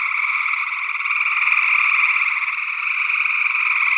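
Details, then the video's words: Chorus of gray tree frogs, Northwest Wisconsin, early June 2022, captured by paired condenser mics in ORTF: continuous buzzy pulsed trilling from many overlapping frogs, swelling slightly in the middle. "Gray Tree Frog Calls"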